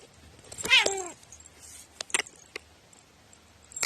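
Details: Domestic cat with quirky meowing, recorded 21 April 2018: a single short wavering meow that bends up then down, followed by scattered clicks and taps in a quiet room.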